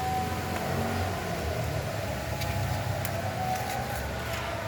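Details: Steady vehicle noise with a faint siren-like tone throughout, with no animal voice.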